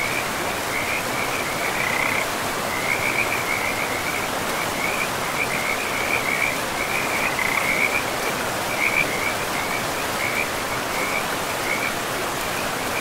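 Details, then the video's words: Near a forest river, several frogs keep up a dense string of quick, rattling chirps, bursts following one another every second or so at one high pitch, laid over a steady roar of running water. "River and Frogs sleep sounds"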